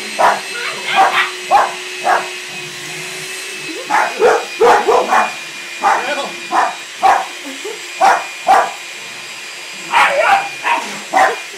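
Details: Playing puppies, a weekend visitor joining a trio of dogs; a long run of repeated short barks and yips throughout, some in quick pairs, with a constant droning hum and occasional voices underneath.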